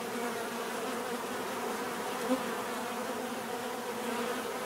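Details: Steady hum of many bees, a constant layered drone with one brief louder buzz passing close near the middle, otherwise even and unbroken.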